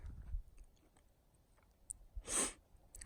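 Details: Chewing and crunching sounds, soft clicks and a brief rustling burst; no animal calls.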